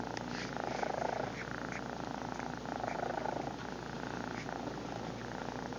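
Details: Purring of Lil BUB, the domestic cat, filmed on a phone: a constant rough, throbbing drone that swells slightly twice as she breathes in and out, indoors and close.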